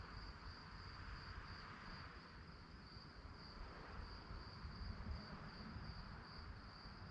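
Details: Nocturnal cricket chorus: a shrill pulsing chirp repeating steadily at a single high pitch, heard against a broad hiss and low rumble.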